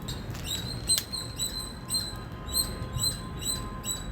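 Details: Loud chirping from an Indian squirrel: short, high, piercing notes at roughly two per second, with a couple of sharper clicks early on and a dull low hum throughout.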